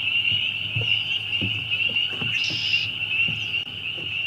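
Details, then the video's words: A chorus of many spring peepers rings on as a constant high shrill tone, joined by low, soft knocking pulses in an uneven rhythm and a brief brighter burst of calling in the middle. "Spring Peepers"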